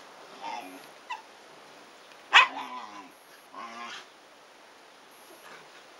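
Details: Shiba Inu puppies, 100 days old, siblings wrestling hard; the mother steps in when play gets too excited. Soft yips lead to a sharp, harmonic yelp midway, then a shorter whiny cry and quiet scuffling.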